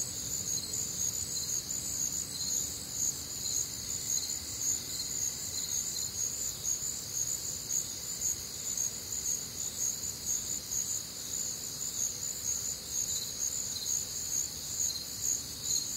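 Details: Warm, humid summer night in the Midwest with crickets and other night insects; a continuous shimmering high-pitched trill chorus in layered bands, evenly sustained, with faint low background noise.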